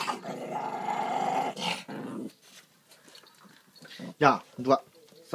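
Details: Pet dog growling indoors while fighting over a pork trotter bone: a low, rough, rumbling growl for over a second, then a brief second rumble, followed by a person scolding in Korean.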